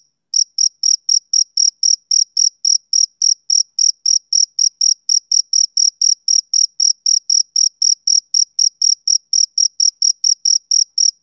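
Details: Male cricket chirping on a summer evening: a steady, high-pitched pulse repeated about four times per second, each chirp sharp and even, continuing without pause over an otherwise silent background.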